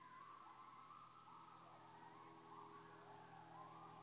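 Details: Two separate coyote packs call to each other in Webster County, Georgia. Faint, distant, wavering yips and howls overlap and rise and fall over a steady low hum.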